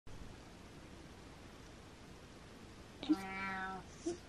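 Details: Domestic cat named Butters meowing indoors to ask his owner to follow; a single harmonic-rich meow of under a second, steady then slightly falling, after a quiet stretch of room noise, with short clicks nearby.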